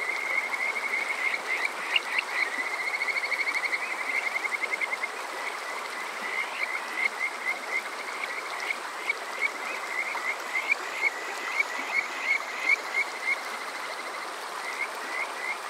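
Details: Summer-night Kajika frog chorus at Water Park Shirayama, Yokoze, Chichibu, Saitama, Japan, captured with a TASCAM DR-05X: many high, whistled trilling notes, some rising, in bursts and stuttered runs over a steady rushing-water background.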